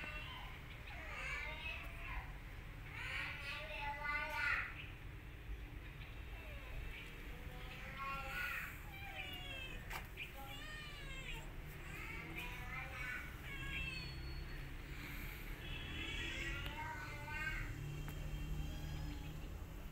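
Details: Kittens mewing around a mother cat who grooms her litter and attacks an orphan kitten not her own; many brief high arched mews, irregular, sometimes overlapping, over steady low background noise.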